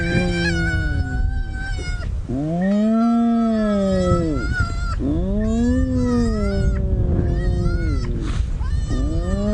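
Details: At a very active spotted hyena den on a sunrise safari drive at 7:15 AM on October 20, 2017, in the Sabi Sand area of South Africa, hyenas greeting each other trade drawn-out, arching moans with thinner, higher squeals.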